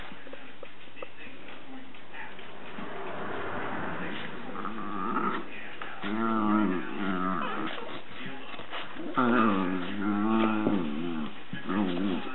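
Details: Dachshund named Flo keeping another Dachshund, Roxy, off her bed at home; low rumbling growls and whining vocalisations rise and fall in drawn-out bursts, with a person's voice murmuring in the background.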